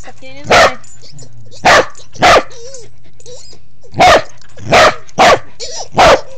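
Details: Pembroke Welsh Corgi under a bed barking loudly and repeatedly, seven sharp barks in uneven bursts, while a person's voice talks softly between them indoors.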